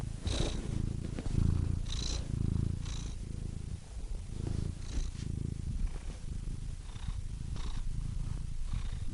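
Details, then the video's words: Domestic cat purring: a deep, close rumble with soft breathy hisses from breathing every second or so, steady and unbroken. "Cats Purring Soothing Sound Effects (Relaxing Cat Sounds)"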